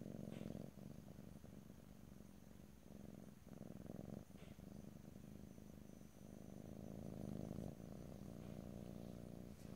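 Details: Cat purring close to the microphone in stereo without talking, a low throbbing rumble broken by short breath pauses, with a few faint clicks.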